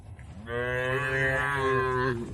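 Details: A single long moo from tame cattle in a rural shed. The low, rich bellow rises slightly at the start, holds steady for almost two seconds, then falls away at the end.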